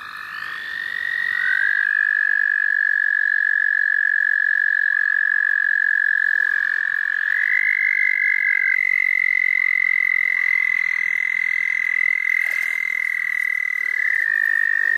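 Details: Frogs calling at the St. Olaf College Natural Lands: loud, unbroken high trills from overlapping callers run through the whole stretch, one voice taking over from another with slight shifts in pitch.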